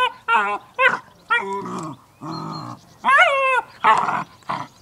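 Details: A Cairn Terrier with a new toy gives a quick series of short, nasal whines and yips, some bending upward, mixed with rough grumbling growls, each burst under a second with brief pauses.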